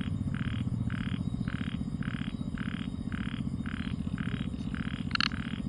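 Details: Frog croaking at night: fairly faint, regular short notes about twice a second under a dominant low droning hum, with a brief sharp click near the end.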